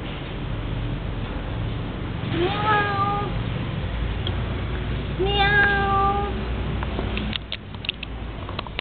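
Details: Cat giving two drawn-out harmonic meows, the first near 2.5 seconds, the second longer and rising then level around 5.5 seconds, over steady low background hum, with faint clicks near the end.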